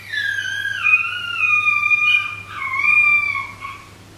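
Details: At night, three 13-week-old Shetland Sheepdog puppies howl in high, wavering, drawn-out tones that slide down and rise again. One lonely pup started and the others joined in, calling for their pack.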